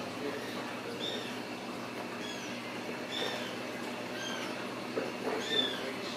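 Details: Ragdoll kittens at a home cattery in central Kansas, raised without cages: thin, high mews, each briefly rising then falling, come about once a second over a steady low room hum.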